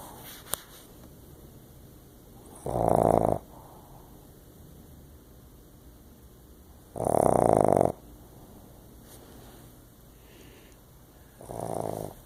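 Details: Pet dog asleep on a person's lap, snoring: three loud, rough snore bursts about four seconds apart, each near a second long, with quiet breathing between them indoors.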